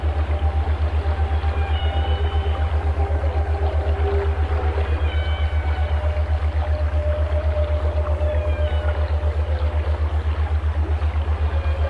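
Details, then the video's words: Whale song: long, steady tonal moans and higher drawn-out whistles, some sliding downward, spaced across the stretch, heard over a loud, even low throbbing that pulses about four times a second throughout. "Walgesang canto das baleias песни китов 鯨歌 שיר לווייתן whale song व्हेल गीत أغنية الحيتان"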